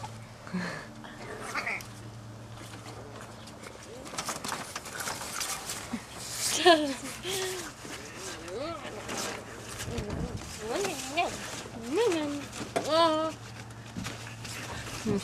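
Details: French Bulldog puppies about five weeks old playing outdoors: talking voices at first, then a run of short, wavy, rising-and-falling whimpers and squeaks clustered toward the end, over a constant low hum.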